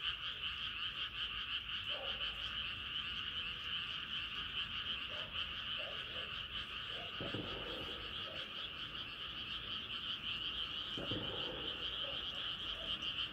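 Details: Chorus of frogs at night as the moon comes up: continuous overlapping high trills at even volume, with scattered short lower croaks and occasional soft knocks.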